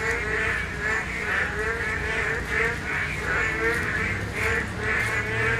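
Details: Boreal digging frogs (Korean narrow-mouthed toads) call during spawning in a chorus of overlapping, nasal, bleating notes; they are heard calling only in the spawning season.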